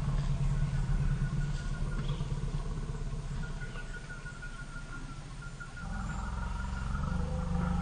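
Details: Frightened African elephants, Pia (about 40) and Noor (about 38) with their 2-year-old young, huddling after a sitatunga jumps out nearby: continuous deep, pulsing rumbles that swell again near the end, with faint thin tonal calls above.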